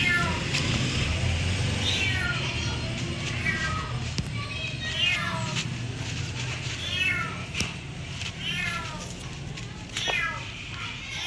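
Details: Repeated short cat meows, each sliding downward in pitch, coming in irregular bursts over a loud low rumble and faint background music.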